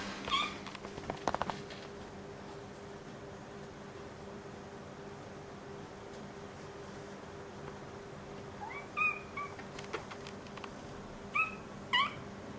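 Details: House cats Momo and Nana begging for food in the middle of the night, 1:30 am, indoors. Short high chirping mews at the start and several more near the end, separated by quiet room hum and a few clicks.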